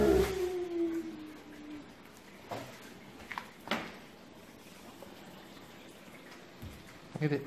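An Alaskan Malamute howls, a drawn-out tone sliding downward, joining in as people sing.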